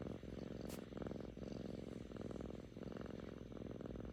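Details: Contented purring from Kkami, a playful seven-month-old female Korean shorthair kitten: dense low throbbing pulses in breath-length phrases of under a second, with one brief sharp click early on.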